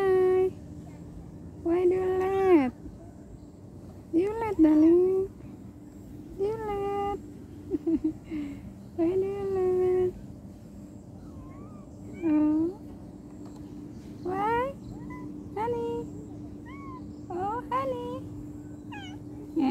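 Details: Domestic cat left behind by its owner, meowing again and again: arched, wavering meows every few seconds, some rising then falling, some short and clipped, over a steady low hum, with quiet human voices between calls.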